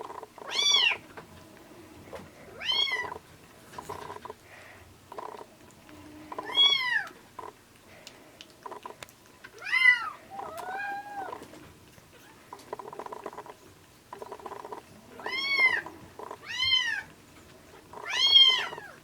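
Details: Two rescued kittens, orange tabby and hachiware bicolor, taking bottle milk near weaning, one feeding well and one poorly; repeated short high mews every second or two, with sucking and rattling noises throughout.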